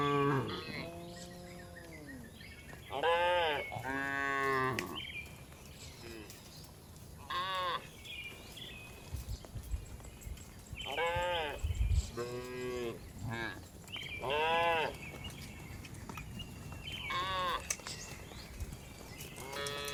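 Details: Herded tame cows returning to the barn one afternoon in the village, giving repeated moos of varied length, some rising then falling, spaced a few seconds apart, with low rumbling background noise.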